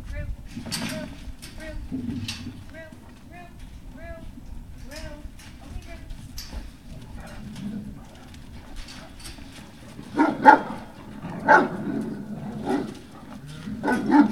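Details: Great Dane puppies at Puppy Hill on 18 November 2018, early afternoon: a run of short, high, slightly falling whimpers and squeaks repeating every second or so over a low rumble, ending in louder scuffling bursts.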